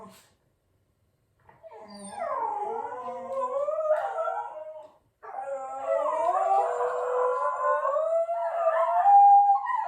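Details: Shetland Sheepdog, a pet said to always sneeze before howling, gives a quiet short note, then long wavering howls sliding up and down with bright harmonics, a brief pause around five seconds, then a sustained rising howl.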